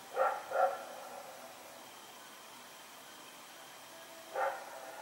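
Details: Rex the dog barking while running around at night, 21 September 2018: two quick barks close together, then after a few seconds one more, somewhat softer, against a faint hum.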